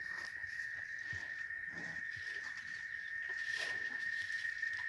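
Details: Chicharras, cicadas near cattle pasture in Oaxaca, Mexico, hum a continuous shrill tone that never pauses, with light crackling and rustling noises around it and a brief swell of hiss toward the end.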